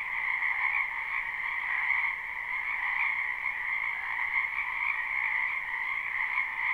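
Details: Spring frog chorus from a backyard wetland in a live, unlooped recording: countless overlapping croaks blend into a continuous shimmering drone with two steady pitch layers, swelling slightly but never pausing.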